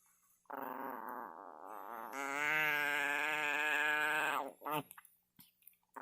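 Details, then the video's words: A Chihuahua gives a sustained warbling moan that climbs into a louder, higher wavering wail lasting about two seconds before breaking off. A person then speaks briefly indoors. "Chihuahua making alien noises"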